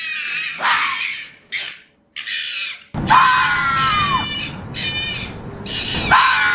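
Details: Mating-season fox making a series of harsh, screeching cries, a few short rough bursts at first and then longer, louder wailing screams that follow close together.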